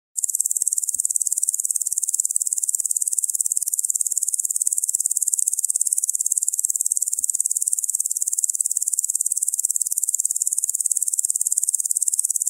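A locust gives a dry, high-pitched rasping buzz, pulsing rapidly and steadily without a break.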